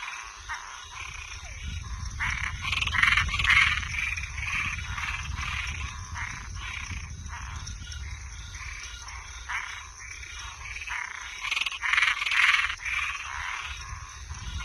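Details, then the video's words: Toads and treefrogs calling through the night in a thick chorus of grating, rhythmic croaks. Stronger bursts come near the start and end, with a low rumble early on and a persistent insect hum. "Som de animais noturno Sapo e perereca"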